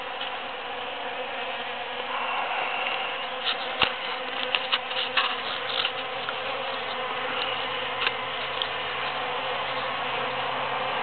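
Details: Many bees working huge cactus flowers following the June 22, 2013 Super-Full Moon make a continuous droning hum, broken by several sharp clicks and brief louder passes in the middle stretch.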